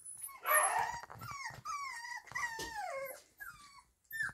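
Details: Kromfohrländer puppies whimpering in a steady chorus of thin, tonal whines that bend downward and waver, several voices overlapping, with brief pauses and a final short squeak.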